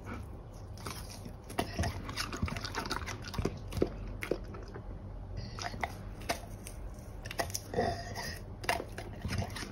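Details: Golden Retriever eating pears indoors, chewing with wet crunches and sharp bites at irregular intervals over a steady low room hum.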